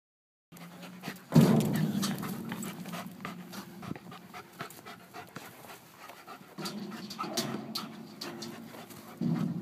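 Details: German Shepherd Larry, an IPO3 dog, pants during environmental agility training in a park among a merry-go-round and picnic tables: rapid, irregular breathy puffs, about three per second, with a low rumble of handling and movement beneath.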